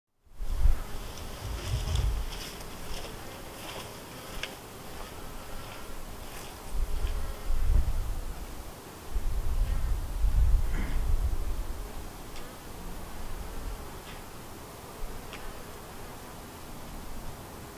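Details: Honey bees buzzing around the White hive, a thriving split from the Yellow hive: a low, steady hum with swelling passes of louder buzz as bees fly close, strongest near two, eight and eleven seconds.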